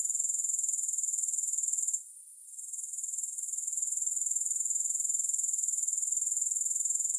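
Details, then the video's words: A dense, high-pitched grasshopper chorus, with no music added, rings as a shimmering pulsed hiss. It briefly drops away about two seconds in, then swells back to full strength. "3 Hours of Grass Hopper Sounds"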